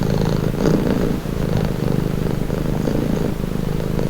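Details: Steady low purr of a domestic cat, a rumbling buzz with a brief dip near one second, heard close and alone.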